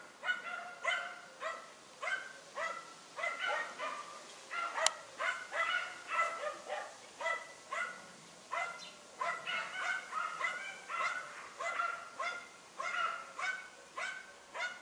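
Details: Dunja, a German Hunting Terrier, barking while confronting a wild boar on a hunt: rapid, sharp, harmonic barks in steady bursts of roughly two per second, sometimes doubled, with one sharp click near five seconds.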